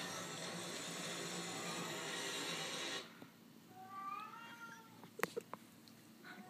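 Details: Domestic cat meowing in the dark: after three seconds of loud broad hissing noise, a couple of short, tonal meows sound, slightly falling in pitch, followed by a few sharp clicks.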